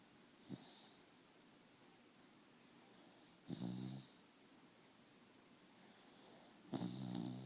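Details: A dog snoring, with three rasping, snorting breaths spaced about three seconds apart, each a short rough burst, in a quiet indoor room.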